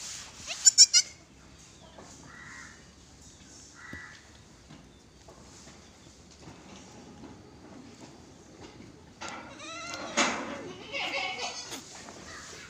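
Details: Goat at a farm in Gulbarga, Karnataka, during a delivery: a sharp clatter at the start and faint short calls, then a wavering, harmonic bleat rising and falling near the end, over low background noise.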